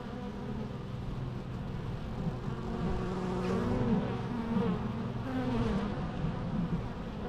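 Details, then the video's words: Bees buzzing in a natural recording: a dense, continuous low hum with wavering harmonic bands and gliding tones as individual bees pass close, swelling slightly mid-clip. "natural bee sounds"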